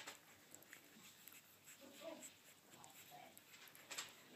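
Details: A newborn Yorkshire Terrier puppy, under one week old, gives faint, high squeaks and soft whimpers while feeding, in a litter with Shih Tzu puppies; Yorkshire Terrier.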